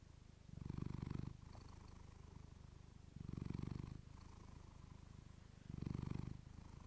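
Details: Steady low purring from a female pet cat into a fluffy microphone, the rapid fluttering rumble rising into three strong swells about every two and a half seconds, quieter in between, with no other sounds.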